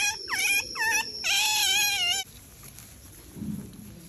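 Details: A baby female smooth-coated otter with a swollen vulva (vaginitis) gives shrill, whining squeaks that dip and rise in quick succession, then falls silent.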